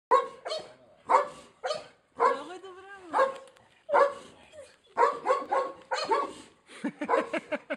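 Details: Cane Corso barking: deep, harsh bark bursts in an irregular series, about sixteen a minute, one drawn out into a rising and falling whine-like tone midway, with short gaps of quiet between.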